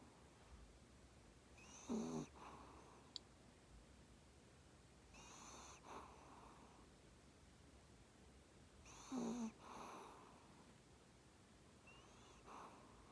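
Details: Sleeping Maltese snoring steadily, a nasal whistling inhale followed by a soft airy exhale, the cycle repeating about every three and a half seconds in a quiet indoor setting.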